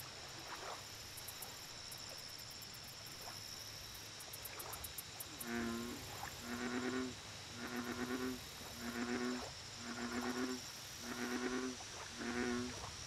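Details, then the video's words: American bullfrog calling at a lake: after quiet ambience, six deep, humming croaks with a buzzy harmonic ring, each about half a second, repeated roughly every second; faint high ticking insects and a steady whine above. "Bullfrog Lake Audio Only"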